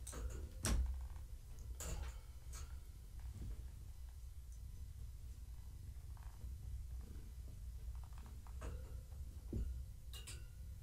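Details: Gaia, a pregnant long-haired tabby cat, purring while being petted and scratched in the evening, kittens moving inside her; a steady low rumble runs throughout, broken by a few sharp clicks and knocks from handling.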